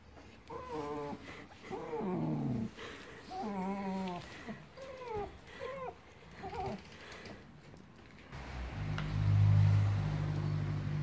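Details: Siberian Husky confused after being introduced to a new German Shepherd puppy at home; about six wavering, whiny yowls with bending pitch over seven seconds, followed by low rumbling noise at the end.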